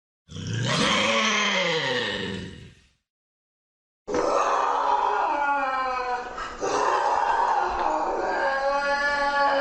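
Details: Lynx calling: a rising-then-falling harmonic wail lasting about three seconds, a short silence, then a long, rough, drawn-out yowl with strong overtones and a brief dip near the end.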